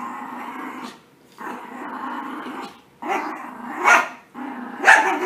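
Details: Puppies playing after a bath: sustained rumbling growls lasting about a second each, repeated roughly once a second, ending in two sharper snarling yelps.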